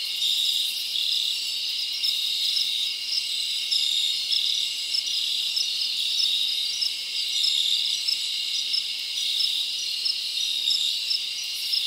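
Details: Summer night in the forest with a chorus of crickets: unbroken, shrill, high trilling that holds a steady level throughout, with small rhythmic chirp accents layered over it.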